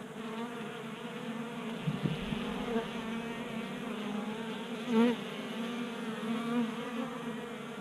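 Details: Swarm of honey bees feasting from a 3D printed feeder on a workbench in a Colorado garage in January: continuous low wing hum with wavering higher overtones, a soft knock early and a brief louder swell near the end.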